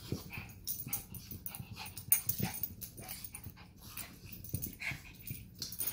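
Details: Two pet dogs, a Chug named Sausage and a Chihuahua named Weenie, play fighting indoors; short rough growls and snorty huffs come in quick bursts, with scuffling between them.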